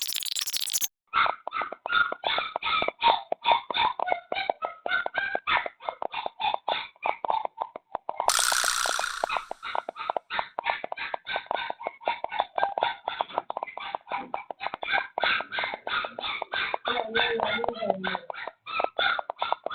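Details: Stray puppy that wandered in late at night and was taken in, crying nonstop in Dauin, Negros Oriental, Philippines; rapid run of short, tonal, harmonic yelps repeated many times per second, with a brief burst of noise partway through.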